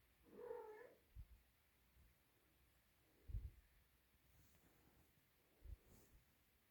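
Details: Siamese cat; meow; kitten calling loudly for its mother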